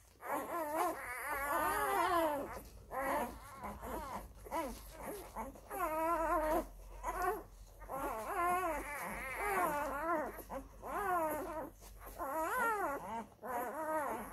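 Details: F-litter Labrador Retriever puppies crowding mother Molly to nurse, little Toni among them; sustained loud warbling whines and squeals from several pups, in long undulating bursts separated by short gaps.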